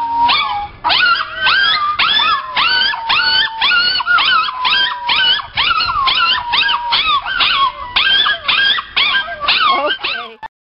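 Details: Male Chinese Crested dog singing a long series of yelping, arched howls, roughly two per second, over a steady held tone, ending abruptly.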